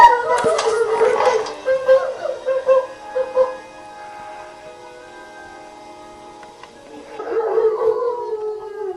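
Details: Two German Shepherds in Brownsville, Texas, about a mile from a hospital, howl in long, wavering, mid-pitched tones that fade and rise again in response to ambulance and emergency-vehicle sirens, heard by day and in the evening.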